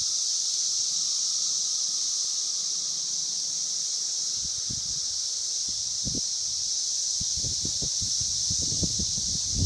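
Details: Brood V 17-year Magicicada periodical cicadas in Logan, Ohio, at the Vine and Walnut intersection. A continuous high buzzing chorus fills the clip, while low thumps and rustling sounds break in during the second half.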